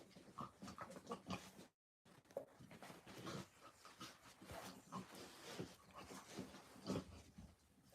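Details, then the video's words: Puppies playing at an orphanage in Illinois on a Friday morning, giving a run of short snuffling grunts and squeaky oink-like noises, with scuffling, a brief silent gap, and a busy indoor background. "Puppy playtime"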